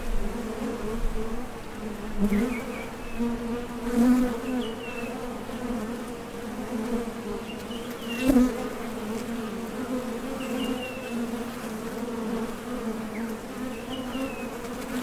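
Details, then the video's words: Continuous hum of honey bees at a Top Bar Hive entrance, workers coming and going to forage for nectar; a dense droning buzz with a few louder close fly-bys around four and eight seconds, faint high squeaks above. "HONEY BEES Sound Effect #MasonJar | BEES BUZZING"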